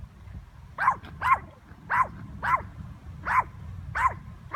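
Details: A Yorkshire Terrier barking at a bird gives six sharp, high yappy barks, spaced unevenly about every half to one second, over a low background rumble.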